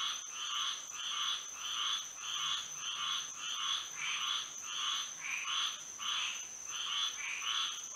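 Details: Frogs singing together at night in Florida, moonlight overhead; a throbbing series of buzzy croaks near two per second, some pulses overlapping, with a steady shrill tone running beneath.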